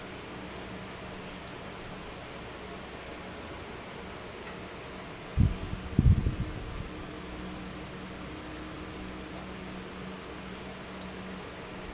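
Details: Steady mechanical fan hum fills the room, broken only by a short burst of low thumps and rustling near the middle, with no animal voice heard.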